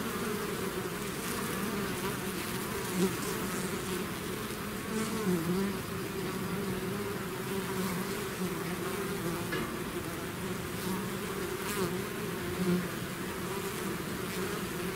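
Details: A bee swarm pouring out of its hive hums in an unbroken low drone, overlapping wingbeats at two steady pitches, with several short louder passes of nearby bees briefly shifting the tone.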